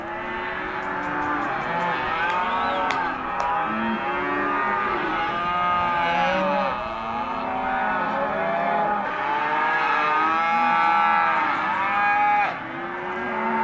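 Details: Empty Hereford and Careta cows in a mixed group moo continuously, dense overlapping lows rising and falling, with a few sharp knocks early on and a sudden drop near the end.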